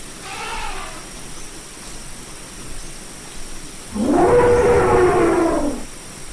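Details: Elephant, the largest living land animal, giving a loud, rough, broad trumpeting blast that starts low, swells and holds for about two seconds before cutting off, after a faint earlier call and a steady background hiss.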